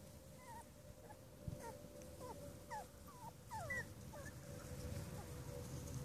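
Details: Five-week-old Cavalier King Charles Spaniel puppies whimpering: short, high squeaky whines that slide downward, coming in a loose cluster of about a dozen over six seconds, over a steady electrical hum and low background rumble.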